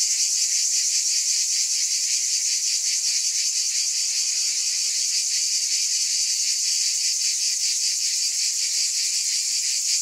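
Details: Ten seconds of constant cicada chorus: a bright, high, rasping drone with quick regular pulses beating within it and a steady level, free of any other sound.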